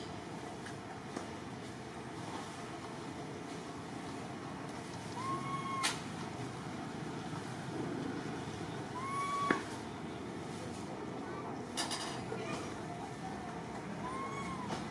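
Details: Little orphan monkey Martin sobbing as he calls for Malida: three thin, whistled, arching cries with a faint upper harmonic, spaced several seconds apart, over a steady hum of outdoor background noise.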